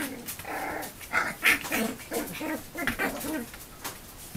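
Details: Puppies in a playful rough-and-tumble rumble while an adult dog steps in to referee. Short, tonal, whiny yips and grumbling growls come in quick uneven bursts of about three per second, with brief pauses and a few clicks.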